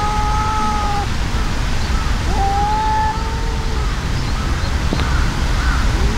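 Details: Cat fight between an enraged brown tabby-and-white cat and an outmatched brown tabby. Several long, level wailing tones come in turn, one near the start and another in the middle. Faint extra cries follow over steady low background rumble.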